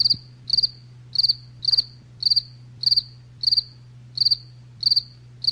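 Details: A cricket calling in rapid succession, about ten high, trilled chirps of several pulses each, evenly spaced roughly every half second, with a soft low hum running beneath.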